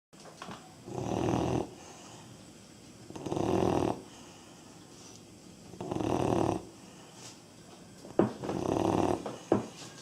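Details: Labrador Retriever puppy aged 3.5 months snoring indoors: four rough, raspy breaths, each about half a second to a second long, repeating every two to three seconds with quiet pauses between.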